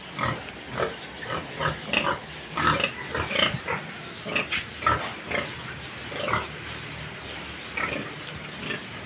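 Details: Farm pigs grunting in rough, mid-pitched bursts, repeated irregularly every half second to second across the whole stretch, over a steady background hiss.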